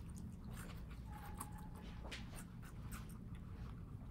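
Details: Guinea pigs kept as house pets in New York City eat watermelon, which they enjoy in small doses. Steady crunchy, wet chewing and biting sounds repeat in quick bursts throughout, over a low indoor rumble.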